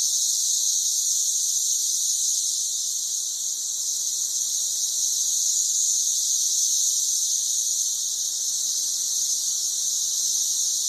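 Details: Brood XIX periodical cicadas, many on trees outside a house in Murfreesboro, Tennessee, form a dense, unbroken high-pitched whining drone that holds steady throughout with no pauses and no other clear sounds.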